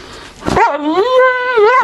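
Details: Begging Neapolitan Mastiff, a female, indoors in January 2015, wanting an empty peanut butter jar: a rising, wavering yodel-like whine that swoops up, levels off, dips and rises again.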